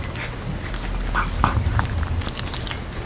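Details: Domestic cat named Jeongsaek, dressed in a hanbok, eating a Lunar New Year cat dumpling soup indoors in a small room; quick moist crunching and chewing clicks, several bites per second, close and intimate over a low steady background hum.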